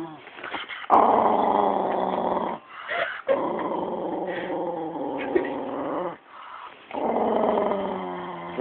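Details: A pet Jack Russell Terrier growls aggressively at the owner's brother, which is unusual for it. Long, low, rumbling growls are broken by brief pauses, while people talk nearby about its grip and its tail wagging.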